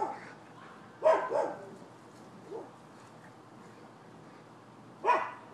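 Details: Neighbours' dogs barking, recorded 12/7/15: a double bark near the one-second mark, a faint single bark midway, then another sharp bark at the end over quiet background hiss.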